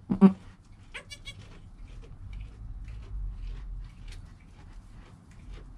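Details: Goat kid Joel in his first hour of life, mother Penny nearby, recorded with a GoPro: a sharp loud cry at the start, then a brief wavering harmonic bleat, fading into quiet shuffling and low rumble.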